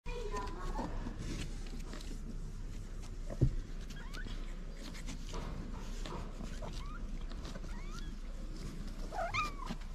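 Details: Rescued female tabby street cat in Morocco, spayed three months after being taken in with her kittens, gives a few short, faint meows near the start and again at the end over a steady low rumble and soft voices.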